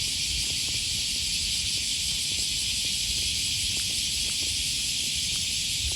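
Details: Cicadas on the riverside near Sakuranomiya Park, Osaka, Japan, on an early August 2020 morning. Their high, sizzling buzz holds constant, layered over low street noise and walking sounds.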